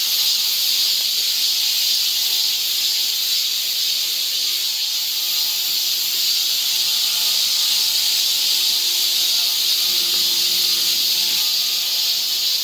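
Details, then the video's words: Cicadas singing along a forest trail near Seoul, Korea, in summer: a dense, steady, high-pitched shrill buzz that holds unbroken for the whole stretch, with faint low tones beneath. "cicada sound"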